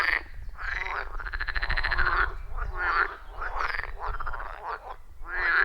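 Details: Wild frogs chorus at a quiet forest pond, captured on iPhone 14 Pro with a Shure MV88+; dense, buzzy pulsed croaks overlap in rapid succession, with a low rumble underneath.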